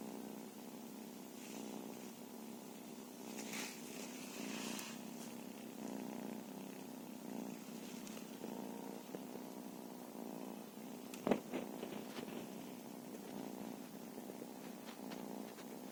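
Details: Continuous low purring from a feral cat, a dense even rumble throughout, broken by a few soft rustles and one sharp click near the end.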